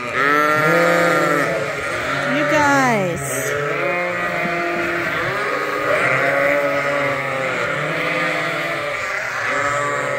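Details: Many hungry lambs bleat at once in a barn at Ewetopia Farms before bottle feeding. They still nurse on their mothers but are topped up twice daily. Dense, overlapping wavering bleats run continuously, with a person talking.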